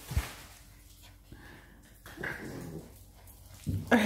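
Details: Two Siberian Husky pups growl and whine in short, rough bursts while play-fighting over a toy they both want.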